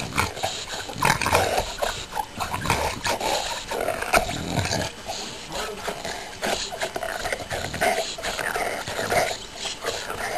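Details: A female English Bulldog grunts, snorts and growls in bursts while chewing and worrying at a rubber Kong toy.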